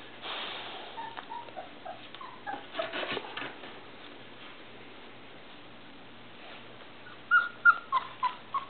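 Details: Irish Setter puppies, three and a half weeks old, whimpering because they want out of their box; a few soft early whines, then a quiet gap, then a burst of short high yelping whimpers near the end.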